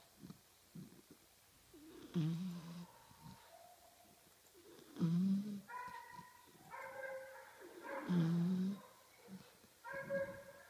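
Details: A five-month-old bulldog puppy asleep during nap time, nose twitching, snores steadily indoors: deep, low rumbling snores roughly every three seconds, with thin whistling nasal tones drifting between breaths in a quiet room.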